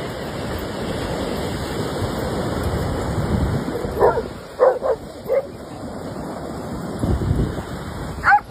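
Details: A playful German Shepherd gives a quick burst of three or four sharp barks after a stretch of steady roaring background, then one more bark at the very end.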